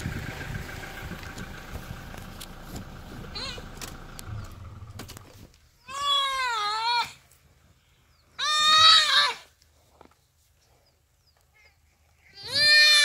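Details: Common duiker crying for help as a cheetah kills it, rainy afternoon, Phinda Private Game Reserve: after several seconds of low rumbling background noise, three loud, harsh, nasal bleats with wavering pitch, each about a second long, spaced a few seconds apart.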